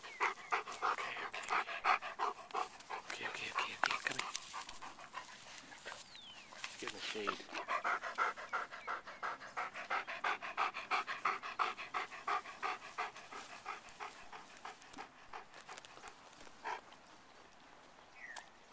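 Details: Beau, a pet dog, pants rapidly and steadily while having treats on a walk, with a person talking and coaxing him over the breathing throughout.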